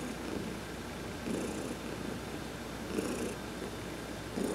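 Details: Adopted cat Heidi getting a massage in the sun, November 19, 2020; her continuous low purr rises in periodic louder swells, while short hissing brush sounds come and go high overhead.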